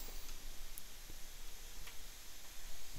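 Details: Steady broadband noise with a few faint clicks and ticks indoors, no animal sound heard.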